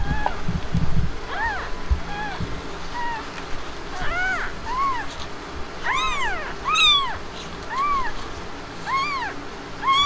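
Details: Blanca, a Himalayan mother cat just after giving birth, with her kittens; repeated rising-and-falling meows about once a second, several strong and bright, against a quiet low hum with a brief rustle at the start.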